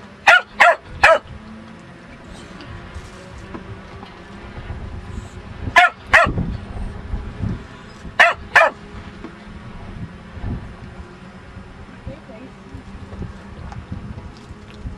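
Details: Lucky, a pet dog, barking in short sharp bursts: three quick barks at the start, then two pairs a few seconds apart, over a steady low background hum.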